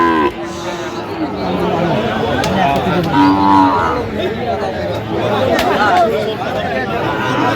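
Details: A Sahiwal bull calf at a cattle market in Kurigram, Bangladesh, on Tuesday 20 January 2026, gives a short, tonal, nasal moo midway through, amid busy crowd chatter and men talking nearby.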